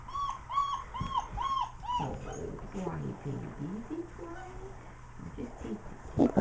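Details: Four-week-old German Shepherd puppies playing with adult dogs; a puppy gives a run of five arched, whining cries in quick succession, then a woman speaks over scuffling and soft dog sounds.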